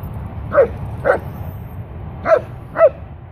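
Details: Griffin, a Leonberger dog, gives four short, mid-pitched barks in two pairs, each pair about half a second apart, with a longer pause between the pairs, over a steady low background rumble.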